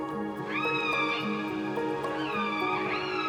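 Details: A juvenile orphaned orca in Puget Sound near Seattle, January 2002, recorded by researchers with a hydrophone, gives upswept, drawn-out whistling calls with bright harmonics, over soft background music; each pod has its own dialect.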